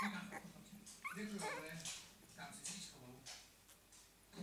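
Two-week-old Staffordshire Bull Terrier puppies give thin, rising whimpers and squeaky yips, with a person talking nearby.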